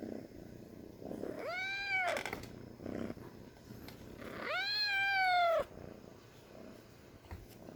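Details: Two plaintive meows from a little kitten, the second louder and longer, both arching and then dropping in pitch, with handling noises and rustles between them.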